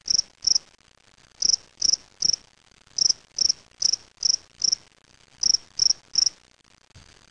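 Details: Gryllus veletis, a spring field cricket kept in a small cage, Waterloo, Ontario, May 2007: high buzzy chirps in loose runs of two to four, separated by short pauses, fourteen chirps in total over a quiet background.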